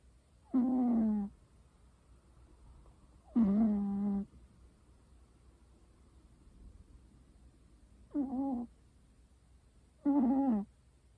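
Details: American Shorthair cat snoring: four low, nasal, tonal bursts, each about half a second long and sliding slightly downward, spaced two to five seconds apart in a quiet room.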